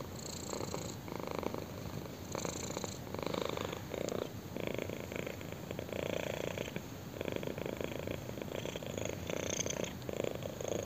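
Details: Kitten purring steadily while being scratched on the chin indoors; continuous low rumbling purr with soft pulsing breaths, swelling on each inhale and exhale roughly every second or two, close and intimate.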